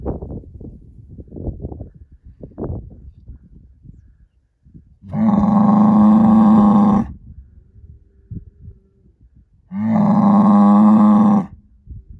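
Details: Angus herd sire bull born in spring 2018 moos twice, each call a steady, deep bellow of about two seconds, separated by several seconds of quiet after some earlier rustling and thumps.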